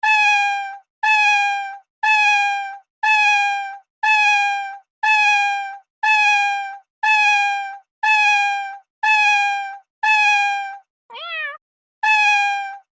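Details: Cat giving a steady run of long, even, loud meows, one each second. Near the end comes a single shorter, wavering, quieter mew before one more full meow. The background is silent.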